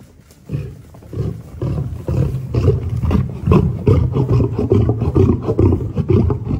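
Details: Aggressive lions making deep, rumbling growls in rapid, uneven pulses, more than two per second, building in loudness after the first half second and continuing steadily.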